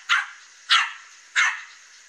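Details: Morning barking from a dog that got loose from its owner and came to a fence facing a cat: three sharp, evenly spaced barks about two-thirds of a second apart.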